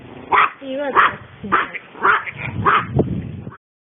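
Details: Female long-coat Chihuahua born in 2010, in everyday home footage, giving five clipped whining yips spaced about 0.6 seconds apart, with a brief wavering human vocal sound between them.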